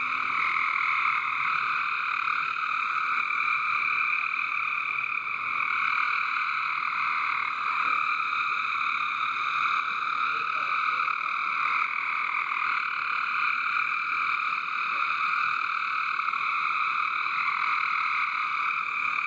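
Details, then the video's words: Backyard water garden frog chorus, very loud and continuous, countless overlapping trills merging into a steady buzzing drone with a few brief pitch shifts. "Frog Song in the water garden."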